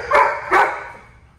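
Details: Milo the Labradoodle in obedience training. Two quick, loud barks less than half a second apart, fading into quiet.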